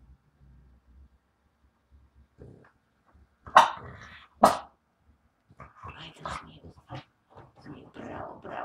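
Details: French Bulldog at home giving two sharp, loud barks about a second apart, after quiet low rustling; a person then talks and praises the dog in short bursts of speech.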